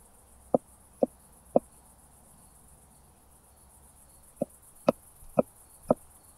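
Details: Southern Oak Bush-cricket in Starnberg, Germany, 7 August 2023, heard via a Pettersson D 100 ultrasound detector with noise removal: three sharp ticks about half a second apart, a pause of nearly three seconds, then four more louder ticks.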